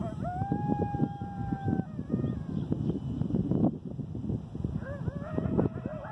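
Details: Coyote howling, recorded 8/11/2018: a long, steady, fairly high howl held for over a second, a short pause, then another sustained wavering howl, over constant low rumbling background noise.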